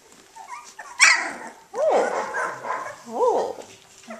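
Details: Australian Shepherd puppies, 18 days old, just starting to play: a sharp high yelp near one second, then two squeaky arched whimpers that rise and fall, about one and a half seconds apart, with a person talking softly nearby.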